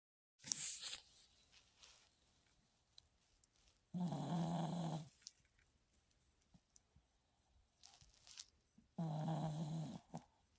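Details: Chihuahua snoring indoors, two long rasping low snores with a humming tone, each about one second, spaced roughly five seconds apart, plus a brief noisy rustle at the start.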